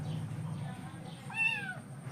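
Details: Hungry kitten waiting for breakfast gives one short falling meow near the end, over a steady low hum, with Telugu speech nearby.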